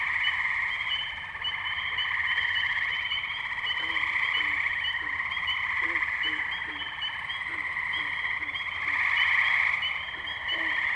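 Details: Many tree frogs calling together at the Firestone Park wetlands, Columbiana, Ohio, on May 6, 2023, recorded with a Zoom H2n: rich overlapping trills form a steady buzzing wall, punctuated by quick low notes repeated several times a second midway.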